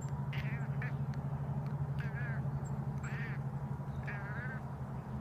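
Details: Indoor cat, very excited at seeing a bird, makes short, quavering, trilled chattering calls in about four brief bursts over five seconds, over a loud steady low hum.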